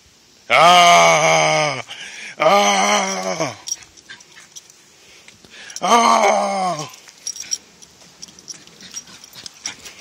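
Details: An angry, pissed-off Toy Poodle makes three long, strained harmonic whines or growling howls, each one to one and a half seconds, with quieter rustling between them.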